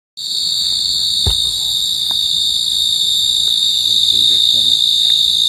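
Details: Pacific field cricket calling: a steady, unbroken high-pitched ringing trill with faint overtones above it, continuous throughout, with a soft tap near the start and light background rustle.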